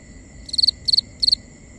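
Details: Crickets at night in a binaural nighttime ambience recording: three sharp, high chirps, each a quick burst of about four pulses, spaced roughly a third of a second apart over a steady high insect drone.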